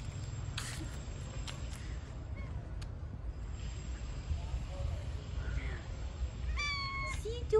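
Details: Fluffy stray cat living on the streets, being petted; after several seconds of low background rumble and soft handling noises, a short faint mew is followed near the end by a clearer, slightly falling meow, with a person speaking nearby.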